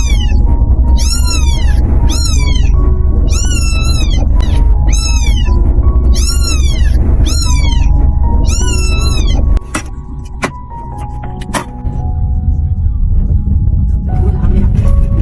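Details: Small stray kitten pleading with repeated sharp, arched meows in clusters for about nine seconds, then a clatter and a quieter stretch, all over a constant deep rumbling background and light music.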